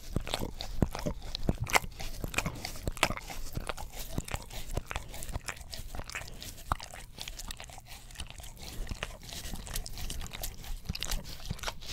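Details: Close, wet crunching and licking noises repeat irregularly in a small room, with no vocal animal sound.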